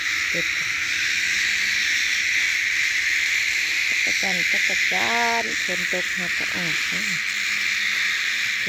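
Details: Loud sustained cicada buzz fills the background while a person talks over it in the second half, the insect drone staying constant and shrill.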